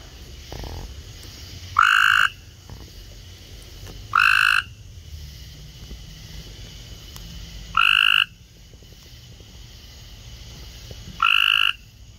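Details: Cope's gray treefrogs in a loud chorus gathered in a kiddy pool; harsh, buzzy trills, each about half a second long, four of them spaced two to three and a half seconds apart, over a quiet low background hum.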